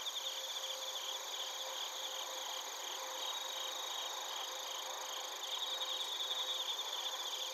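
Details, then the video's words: Bell crickets and other crickets recorded in Narita, Chiba, Japan, on a TASCAM Portacapture X8: a dense, steady chorus of high ringing trills and pulsed chirps layered together without pause, with a faint low tone running through. "スズムシとコオロギの鳴き声 - Chirping of crickets"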